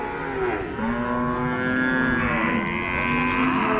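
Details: At Paragram cattle market, 7 December 2024, cows low in sustained, slightly wavering moos lasting a second or more, set against a constant hubbub of people talking in the busy market.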